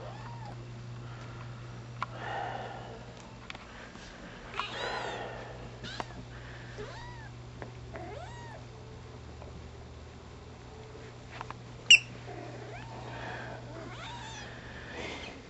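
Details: Young Bombay-type rescue cat, a seven-month-old female, mothering her squeaky toys indoors; gives a series of short arched meows and chirping mews scattered across the recording, some rising then falling, over a steady low hum with an occasional sharp click.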